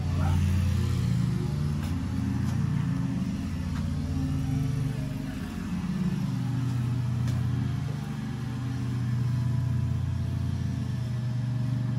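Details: A steady low vehicle engine rumble dominates outdoors, with slight swells in loudness and faint ticks; no barking or other animal voice is heard.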